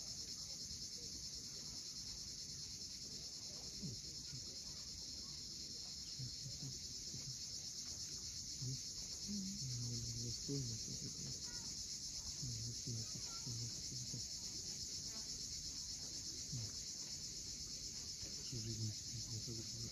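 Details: A steady wall of shrill cicada buzzing fills the sunset air above the cliffs of Cape Fiolent, Crimea, unchanging throughout, with scattered low tonal sounds and distant surf below.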